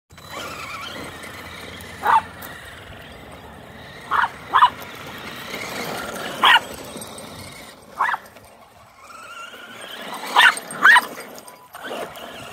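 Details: Border Terrier named Leeloo playing with a four-wheeled toy friend; short sharp barks or yips burst out at irregular intervals, about eight over twelve seconds, some in quick pairs, over a steady background hum.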